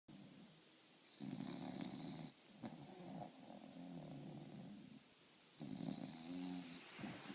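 A French Bulldog snores in long, rumbling, throaty breaths with a low, rattling buzz.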